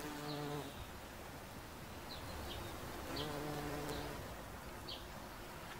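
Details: Bumblebee visiting a daisy, giving two short low humming buzzes under a steady bed of brief high-pitched bird chirps.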